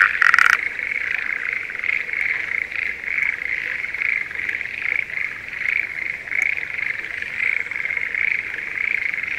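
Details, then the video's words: Spring rice paddy chorus of breeding Schlegel's green tree frogs near Sendai, Japan. A short loud burst opens, then a dense, continuous pulsing trill runs throughout with faint rhythmic swells. "シュレーゲルアオガエルの鳴き声Voice of schlegel's green tree frog"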